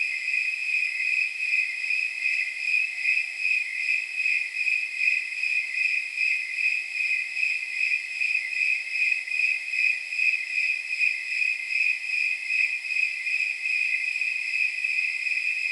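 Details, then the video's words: Snowy tree crickets at night, around 79 degrees, keep up a steady high-pitched chirping of fast, even pulses, roughly two or three a second, layered into a continuous ringing band with faint jingle-like overtones. "Snowy Tree Crickets 10 Hour Sleep Sound"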